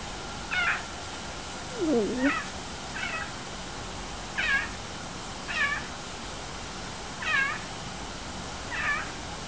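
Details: A male clouded leopard gives short, repeated meows, each a quick rising-and-falling mew every second or so.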